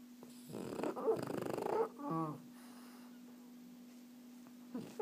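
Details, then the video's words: Sleeping French Bulldog snoring while relaxing: a rough, rattling snore of about a second with fast pulsing, then a shorter wavering snort with stacked harmonics, then quiet breathing and a faint steady hum indoors. "die französische Bulldogge schnarcht"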